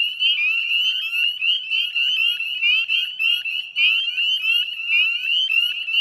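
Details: A dense chorus of male northern spring peepers at dusk, 9:08 p.m. on 18 May 2020, in ditches and woodlands beside a salt marsh in West Chezzetcook, Nova Scotia; countless high, piercing peeps overlap into a steady shrill wall.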